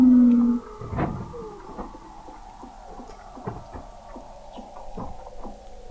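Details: Weddell seals beneath Antarctic sea ice in McMurdo Sound, November 2017, heard through a seafloor observatory at 21 m; a brief loud low tone, then a broad thump and faint sustained whines with regular ticking.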